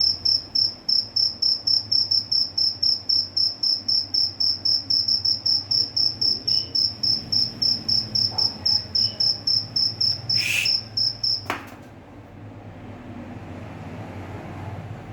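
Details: A cricket chirps steadily at midnight at home, high and shrill, about four pulses every second.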